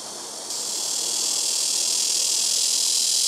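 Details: Blackish cicada singing very loudly from trees by a house rooftop, calling in turn from neighbouring trees; a harsh, high, hissing buzz switches on after half a second and swells steadily louder without a break.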